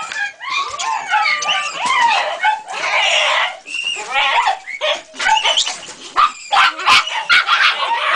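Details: A three-month-old Jagdterrier named Ega, facing a rat for the first time, makes a dense mix of squealing whines, wavering yelps and a few sharp barks that blend into one another, with little pause between sounds.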